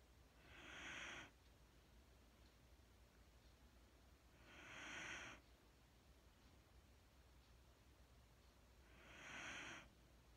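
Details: Mattie, a sleeping Wheaten Terrier, breathing softly and slowly indoors; three hissy, airy breaths rise and fade, each roughly four seconds apart, with a low steady hum beneath.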